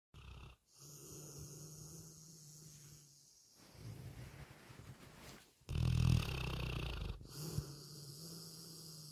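A sleeping retriever snores in low, rumbling breaths with a wheezy edge.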